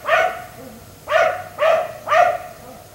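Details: Black Labrador retriever left outside by neighbours until 1am, barking at night: four loud, harmonic barks spaced about half a second apart, each sharp at onset and dropping away, over quiet background.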